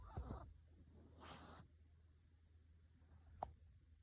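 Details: Russian Blue cat snoring as it sleeps: a breathy low rasp at the start, then a second airy hissing exhale about a second later, followed by quiet with one faint click near the end.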